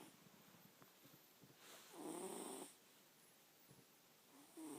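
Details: A pet cat snoring while asleep indoors: quiet, breathy rasps, with one louder, rougher snort-like snore lasting under a second midway and softer ticking breaths around it.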